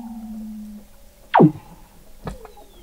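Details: Weddell seals beneath the sea ice at McMurdo Sound, Antarctica, November 2017, recorded 21 m under the ice: a low steady hum breaks off, followed by one loud sharp downward sweep and a later click with a faint falling whistle.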